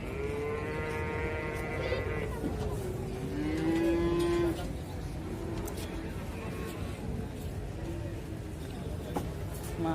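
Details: Big one-ton cattle loaded onto a truck at an Indonesian market: a long steady moo at the start and a shorter one soon after, over constant crowd babble and clatter.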